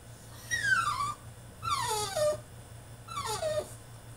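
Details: French Bulldog having a tantrum in his cage: three descending whimpering cries, each about half a second to a second long, spaced roughly every second and a half, over a low steady hum.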